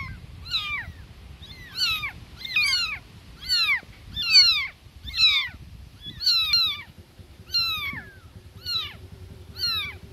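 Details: Newborn baby kittens crying for their mother, sharp descending mews in irregular bursts, loud peaks around the middle, with a low steady hum underneath in the second half.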